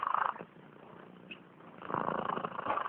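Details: Sleeping cat snoring: a soft, breathy rasp at the start, a quiet pause, then a longer buzzing rasp from about two seconds on, steady and low in volume.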